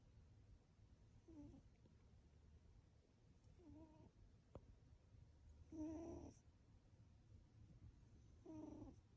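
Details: Cat snoring while asleep, with four short, low nasal breath sounds spaced roughly two seconds apart, the third loudest, against a quiet indoor hum.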